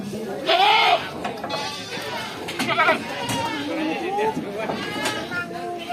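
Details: Jawarandu goat at a goat market, offered as a breeding buck; a short, loud, wavering bleat opens the recording, followed by people talking nearby and more faint bleating.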